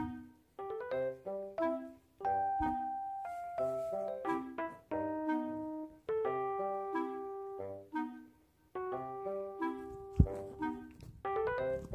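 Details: Gentle piano music plays in short melodic phrases throughout, with no animal sound.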